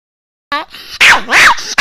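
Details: Pet Chihuahua named Rana complaining early in the morning after waking, because her owner is slow to get up: a brief whiny note, then two loud, high, arching yelps in quick succession, with a third yelp starting at the end.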